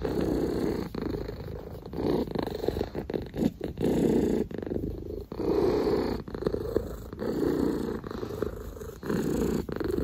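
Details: Domestic cat purring steadily and loudly, a rough, low rumbling drone that swells and pauses briefly several times across ten seconds, with faint clicks and rustling close by.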